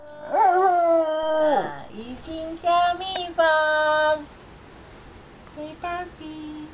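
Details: A relaxed giant panda vocalizing in the afternoon, giving a few sustained flat moans about a second long, separated by short gaps, and a faint, softer call near the end.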